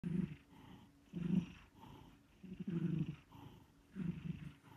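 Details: Sleeping cat snoring: low rumbling breaths in short bursts about every second or so, with quiet gaps between them and no other clear sounds.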